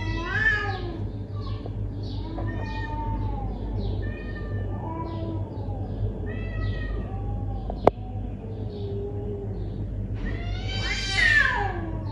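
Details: Confrontational neighbourhood cat giving a string of moaning, arched yowls that bend up and down, one sharp click midway, ending in a loud, rising, strained wail over a low background hum.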